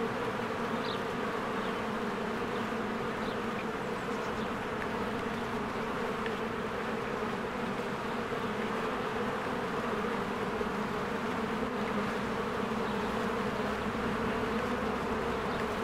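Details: Spring at a beehive: many honeybees working and flying around it, recorded on a Canon EOS R. A continuous, dense buzzing hum persists throughout, with scattered faint high bird chirps early on over the steady insect drone.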